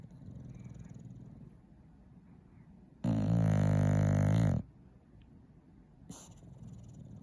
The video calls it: English bulldog snoring